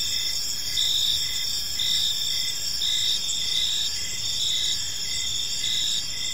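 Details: Evening chorus of crickets in a quiet park: dense, shrill continuous trilling with short regular pulses about twice per second, layered callers forming an unbroken high ringing over soft low noise.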